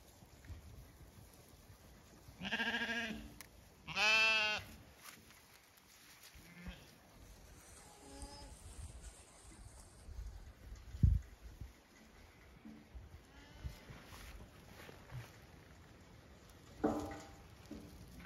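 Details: Zwartbles sheep flock on a regenerative farm in County Kilkenny, Ireland, abandoning beet pulp pellets and galloping out an opened gate to fresh grass; two loud, wavering, harmonic bleats early on, then quiet shuffling and low thuds, one shorter bleat near the end.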